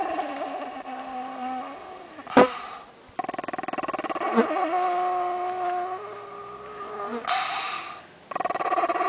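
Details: A 10-year-old white purebred Pekingese gnaws a bone and growls in long, tonal, rumbling stretches to guard it when his owner deliberately disturbs him.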